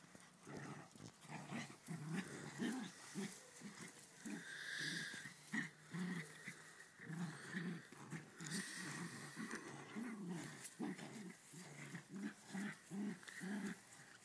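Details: Ridgeback and West Highland White Terrier playing together: a steady run of low, throaty growls and grunts in quick bursts, overlapping and rising and falling in intensity, with snorty breaths between them.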